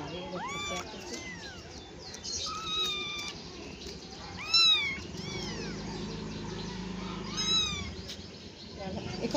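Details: Several cats or kittens played with and fed, meowing repeatedly: short rising-falling high meows, some overlapping, in quick succession, with music playing softly beneath.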